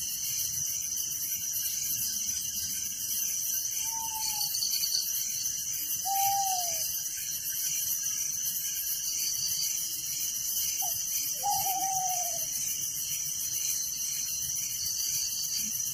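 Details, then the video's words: Night crickets in a village keep up a continuous high, rapidly pulsing shrill chorus with a lower pulsed layer, while several short, clear whistled notes, each slurring downward, come from another animal at intervals. "Relaxing Night Crickets Sound in Village"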